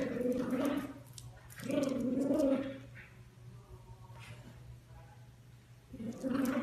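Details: Chiweenie puppies indoors making drawn-out, tonal whines and yelps about a second long. Three bursts at the start, middle and end, separated by quieter gaps with soft background noise.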